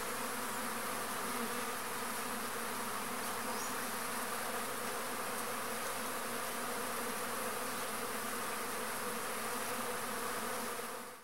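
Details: Arapuá stingless bees (Trigona spinipes) visiting a pumpkin flower for cross-pollination: a long, level buzzing drone with deep humming tones and steady hiss that fades out abruptly at the very end.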